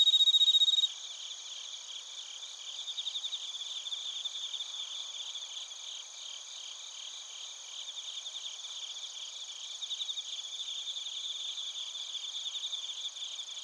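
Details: Bell crickets and other crickets chirping in Narita, Chiba Prefecture, Japan, recorded with a TASCAM Portacapture X8: a loud ringing tone for the first second, then a dense, steady high pulsing chorus with rapid repeated trills throughout.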